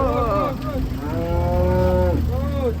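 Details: A cow unloaded from a truck lets out drawn-out lowing moos, one long and level, another falling at the end, over a constant low engine rumble.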